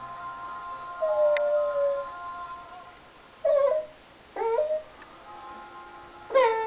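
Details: Pembroke Welsh Corgi whining indoors when its owner won't play ball. Long thin harmonic whines, one falling steadily, followed by short bent squeaky cries rising and dropping in pitch.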